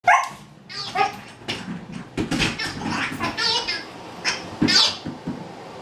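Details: Pet dog playing with a new giggle ball and a stuffed rabbit toy, giving a run of sharp, high barks and yelps at irregular intervals, with a squeaky toy voice and a little human speech in the background.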